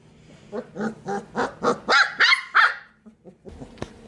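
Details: Sheepadoodle pups in a pen, a single-puppy litter plus two companions, bark in a rising series of rough yaps that grow louder and shriller, ending in a faint whimper and some rustling.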